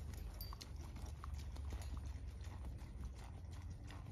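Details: Quick, regular clip-clop of hooves from a blue roan registered Quarter Horse gelding, aged 11, each muffled thud following closely on the last, set against heavy low-pitched background rumble.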